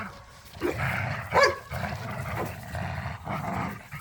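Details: Dogs, pit bulls and a Malinois, wrestling over a squeaky toy in a yard, give a steady low growling snarl with a single bright squeak of the toy in the middle.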